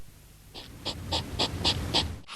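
A hedgehog gives six quick, breathy snorts, about three per second, each a short hissy puff that grows louder toward the end, over a low background rumble.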